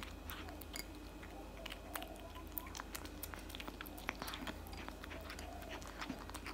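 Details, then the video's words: Crunching and chewing from a tabby cat eating cat food, a dense run of quick bite clicks and mastication in a small room. "eating cat food for 5 minutes straight"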